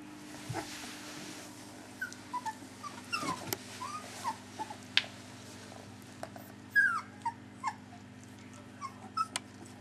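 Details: Three-week-old puppies whimpering indoors: scattered short, thin squeaks and yips sliding downward, several clustered around the middle and later part, over a steady low hum.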